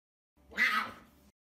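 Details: Puma Messi, a pet puma, begging for a glass of kefir: one loud, short meow-like wail lasting about a second, strong and harmonic, swelling then fading slightly downward, in an otherwise quiet room.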